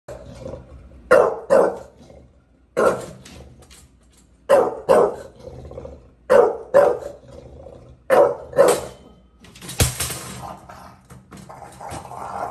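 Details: Bulldog at a gate in New York City barking in short paired bursts, about two barks every two seconds, deep and harsh, with a louder rattling crash near the end.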